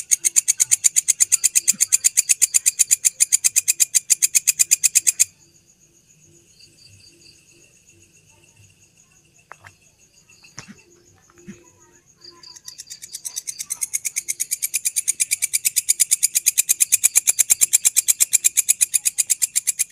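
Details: Grasshopper at midnight near Candi Borobudur producing loud, rhythmic, scratchy pulses about three per second, falling silent for some seconds with faint background murmurs and a thin whine, then building back into steady chirping.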